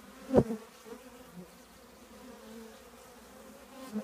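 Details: Old trash can holding a honey bee colony: a loud close buzz as one bee flies right past, then the softer steady hum of the colony with a few more passing bees.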